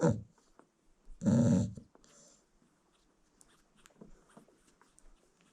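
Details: Sleeping American Bully mother nursing a newborn litter in South Africa gives one deep, rough snore lasting about half a second, after a short breath at the start, then faint rustling and quiet small-room sounds.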